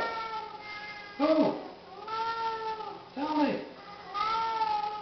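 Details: Two Siamese cats, very vocal at feeding time, give loud, drawn-out meows one after another while a person speaks softly, offering food.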